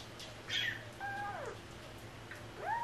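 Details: Stray cat from a rescued cat family: a clear drawn-out meow that slides downward, then after a pause a shorter mew rising in pitch, with a faint steady hum behind.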